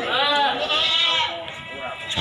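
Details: Goats, breeding does and kids, at the Silir animal market in Semanggi, Solo: a long, wavering, nasal bleat with a trembling quality holds for about two seconds, overlapped by men talking in the busy market.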